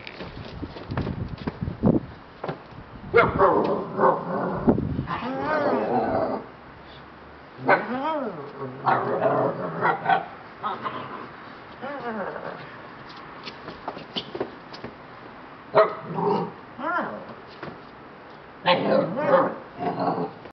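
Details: A dog named Timba playing outside gives loud, short barks in bursts, some with rising and falling whine-like tones, spaced irregularly across the recording, with people's voices in between.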